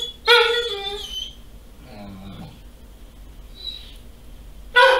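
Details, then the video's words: Doberman crying at its female owner's return home. A loud, high harmonic whine opens and another bursts in at the end, with a soft human voice and quieter squeaky whimpers in between, indoors. "Doberman Crying When Mom Returns"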